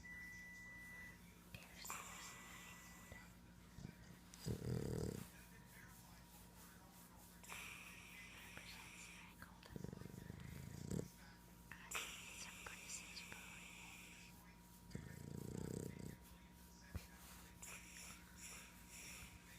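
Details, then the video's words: Boston terrier snoring indoors while stretched out and snuggled, half awake. Low, rough breaths swell roughly every five seconds, three in all, with a woman talking softly between them. "the snoring boston terrier"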